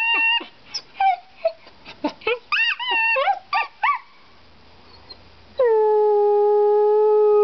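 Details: Dog 'singing': a string of short rising and falling yelps, a quiet pause, then one long, steady, level howl held for about two seconds until the end.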